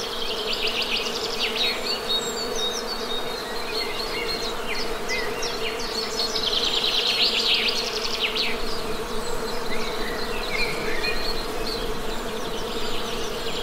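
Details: A constant humming drone of honey bees with steady tonal bands, mixed with scattered high-pitched bird chirps and a rapid trill midway.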